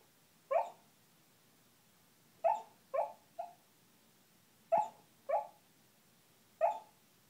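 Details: Asleep and 'talking', the dog Kuma lets out seven short, muffled woofs, some in quick pairs and others spaced about two seconds apart, in an otherwise quiet room.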